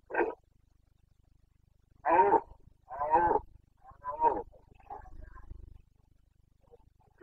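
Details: Carpathian red deer stag roaring in the rut, Bucovina mountains, 29 September 2022: loud, harsh, harmonic bellows in a series. One short roar, then three longer ones about a second apart, trailing into fainter grunts.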